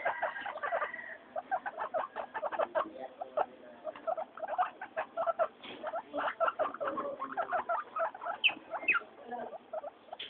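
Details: During weekly floor time, three pet guinea pigs (Mayumi, Archie, Miyuki) give rapid, evenly pulsed chirps and squeaks, with a high squealing burst at the very start and scattered brighter wheeks near the end.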